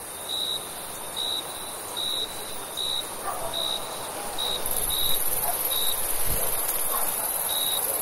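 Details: Summer crickets at night: short, high, pure chirps repeated about once a second for the first five seconds, then more scattered, over a constant high insect hiss, with a low thump near the end.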